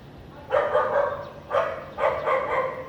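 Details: Barking house dog in a clean area of Vientiane, Laos, on a sunny, lightly clouded afternoon in April 2021; a few loud, harsh barks in close pairs with short gaps between them.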